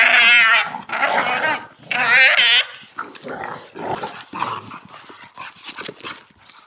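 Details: Pit Bull in a dog fight; loud, wavering, high-pitched yelping whines come in two long bursts, followed by softer, broken whimpers and scuffling.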